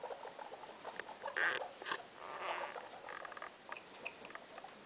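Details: Mother guinea pig Loeki with three young inside the house; two louder, brighter squeaks stand out near the start and middle, between softer scuffling and short clicks in a quiet room.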